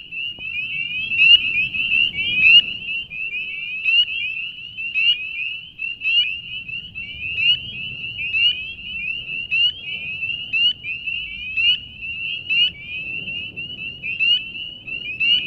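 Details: Spring peepers in a dense March chorus at a beaver pond in Banshee Reeks Nature Preserve, Leesburg, Virginia: many high, sharp, rising peeps overlapping continuously, with a faint low rumble beneath.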